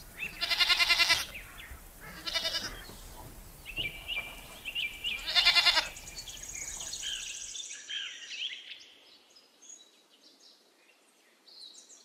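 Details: Goat giving three loud, harmonic bleats, each wavering and lasting about half a second, spaced a couple of seconds apart, while small birds chirp and twitter steadily in the background.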